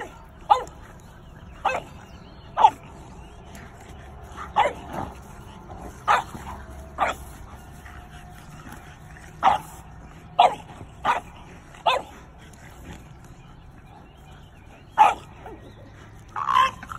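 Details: A Doberman and a French Bulldog confront an intruding raccoon on their boundary during the afternoon, the Doberman defending her family by instinct; a long run of about thirteen loud, abrupt barks, irregularly spaced, sometimes in quick pairs.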